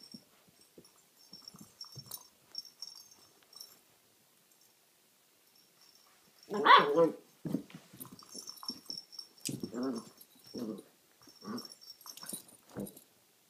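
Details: Quattro, a nine-week-old Alaskan Malamute puppy, gives a string of short grumbling, whining vocalizations with a few louder yelps while playing with a cat toy and "talking" to it.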